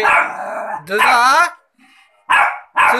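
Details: Three-month-old Rottweiler puppy barking: a broad harsh burst, then a longer, rising, strained bark, a short pause, and two quick barks close together, with a person's voice calling nearby.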